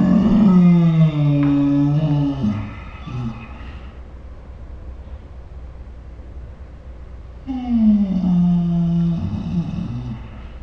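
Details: Two drawn-out, low, wavering groans from Ours the Saint Bernard in his 'dinosaur sounds' talking, each dipping slightly in pitch and about two to three seconds long, separated by a quiet pause, indoors.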